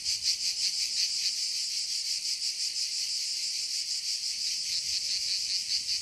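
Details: Forest cicadas produce a shrill, unbroken buzzing drone that swells and throbs quickly and evenly throughout, with a faint thin tone briefly audible beneath.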